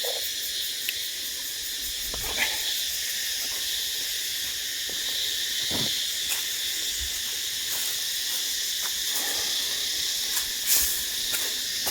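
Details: Chorus of many unseen cicadas by Ba Ho waterfalls near Nha Trang, Vietnam; a dense, high, sizzling drone continues without pause, broken by scattered clicks and a few soft thumps of movement.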